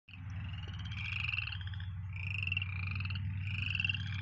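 Frogs call together in a steady chorus, with a deep pulsing drone beneath higher rapid trills.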